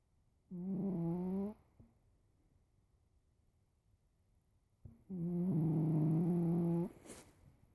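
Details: Sleeping house cat snoring through the afternoon: two droning, harmonic breaths about four and a half seconds apart, the second longer and steadier, in a quiet indoor room.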